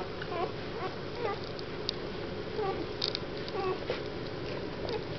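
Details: Weimaraner puppies from a litter born 1 April 2009 in Mladkov near Boskovice give high, wavering whimpers and squeals, overlapping one another.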